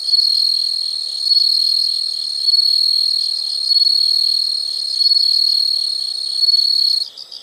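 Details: Insects calling as a calming nature sound: a loud, steady high-pitched trill held for about seven seconds, swelling in volume about every 1.3 seconds, then stopping abruptly near the end.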